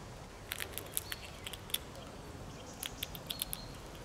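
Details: Gnawing sounds of a red squirrel, a run of small sharp clicks and dry taps in uneven groups, then a brief lull and more ticking, over faint background noise.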